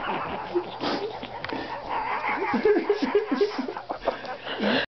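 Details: Bear, a dog said to be talking in broken English while trying to say "Watch me attack this cat", gives a drawn-out whiny, moaning vocalization. It breaks into a quick run of short rising-falling yelps midway, then one final longer whine.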